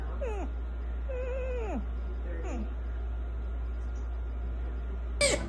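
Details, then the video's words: Young sea otter joey calling repeatedly: four shrill, squealing calls, each rising briefly and then sliding steeply downward, spaced about a second apart, over a steady low hum. "Joey sea otter, why so vocal?"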